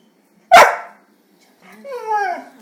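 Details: Young Rhodesian Ridgeback puppy refusing to be disrespected: a single sharp, loud bark, then after about a second's pause a longer, tonal, whining yelp that slides downward in pitch and fades. Quiet indoor room, no other sounds.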